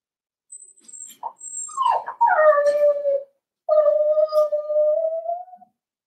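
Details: Cavalier King Charles Spaniel puppies at four weeks old cry in their pen: soft high squeaks lead into two long, loud, slightly rising tonal whimpers separated by a brief pause.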